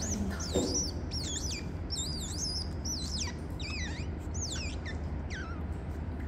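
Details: Otters in a registered zoo in Gyeongsan, South Korea: mother Mocha caring for and nursing her young pups while father Toffee brings the babies to her. Loud, high wavering squeaks that swoop up and down, in quick bursts, with a steady low hum behind.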